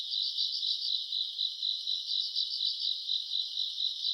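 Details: Night chorus of grass insects in August summer: continuous high shrill trill with quicker pulsing swells, about four per second, and no other voices.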